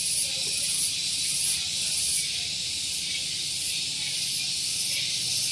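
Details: Loud morning cicada song from Gunung Geulis, Bogor, West Java, near a parking area: a piercing high buzz with brief brighter swells about every half second to second over a constant hiss.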